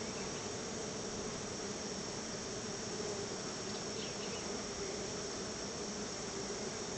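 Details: Honey bees crowding around their hive while being gifted honey as a thank-you treat, giving a continuous, even swarm hum with a steady low drone and hissy upper wash, no pauses.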